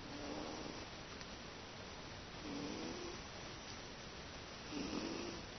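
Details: Snoring from Teto, a pet cat sound asleep in a peaceful room; three slow, droning inhalations with a slightly rising tone, about two and a half seconds apart, over faint steady hiss.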